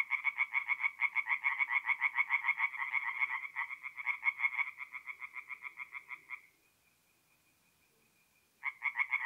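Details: Tree frogs singing at night at a forest pond in mid-April in north-east Italy: rapid, even trains of rasping pulses, several per second, with a pause of about two seconds near the end before the calling resumes.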